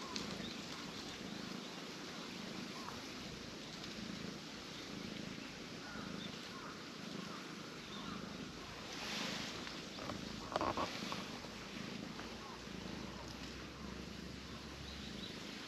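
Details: Orange tabby cat going limp and relaxed on a person's lap, giving a low rumbling purr in steady soft pulses throughout, over constant outdoor hiss with a brief louder rustle near the middle.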